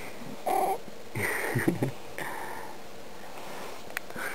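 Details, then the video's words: Sleeping pet cat Huckle Rhodes disturbed by poking indoors: a short nasal chirp, then a louder rough grumbling murmur, followed by softer breathy sounds and a light tap. "Poking a Snoring Cat"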